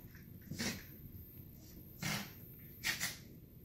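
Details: Two bonded 2-year-old Miniature Schnauzers, Wally and Pearl, playing indoors in the evening, biting at legs. Three short, breathy snorting huffs at roughly one-second intervals, each a brief noisy burst, against a quiet room background.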